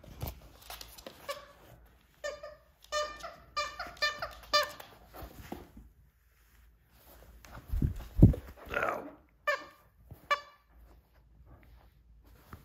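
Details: Pokey, a happy stray rat terrier, entertains herself indoors playing with her monkey toy on a snowy day, producing a series of high, harmonic squeaky whimpers in quick runs, with thumps and brief human voice.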